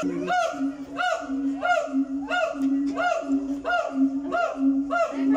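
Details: A captive siamang at a zoo gives loud whoops that sweep upward in pitch, each rich in overtones and repeating roughly every half second, over a steady, droning lower note.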